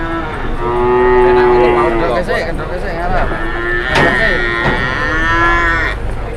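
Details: Cattle mooing at a market, long steady lowing calls from several animals running into each other, broken by a sharp knock and background chatter.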